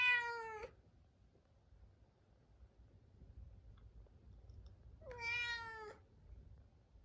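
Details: Two long, mournful meows from Munchkin cat Chabo, kept apart in a separate room at dinnertime ahead of his neutering, separated by about four seconds of quiet room noise.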